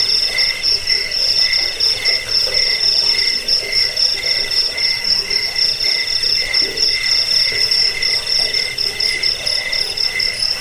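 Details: Cricket chirps used against rats, as a sleep aid and as a master for bird training: high, buzzy pulsed trilling that rises and falls in quick regular bursts.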